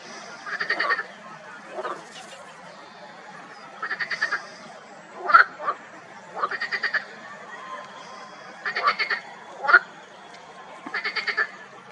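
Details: Marsh frogs in a spring pond, many calling together: pulsed, rattling croaks in short bursts of rapid beats, about six bursts over twelve seconds, mixed with a few sharp clicks over a quiet background.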